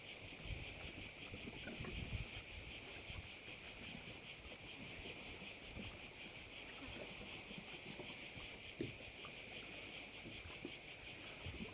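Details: Crickets at one of the bays of Korčula, Croatia, filling the air with a loud, high, rasping buzz that throbs rhythmically, roughly three pulses a second, over faint low background noise.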